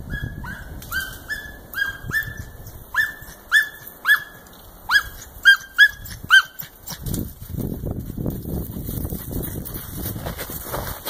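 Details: German wirehaired dachshund, a hunting dog, giving tongue while trailing the scent of cottontail rabbits; high, sharp yelping barks in a steady string of about a dozen, then rustling movement through vegetation.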